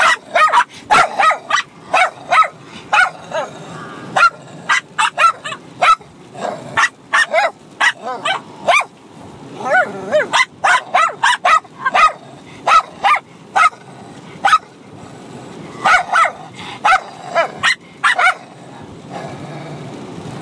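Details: Two Bichon Frises, a 6-month-old puppy and an adult dog, trade rapid, high, yappy barks in quick overlapping bursts while fighting and playing at the same time.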